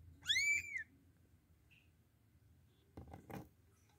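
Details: Young kitten whose mother cat will not feed it gives one clear, high, arched mew that rises then falls, followed by near silence and a couple of soft thumps of handling at the end.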